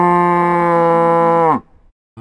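A cow gives a long, steady, low moo that drops sharply in pitch at the end.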